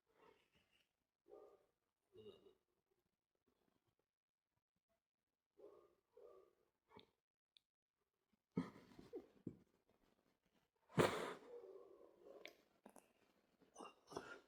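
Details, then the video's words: Domestic dog indoors in a quiet small room, giving short soft vocal bursts, paired whine-like yips near the start, then louder harsh bark-like outbursts with rustling and breathing noises toward the end. "If you like dogs making noise"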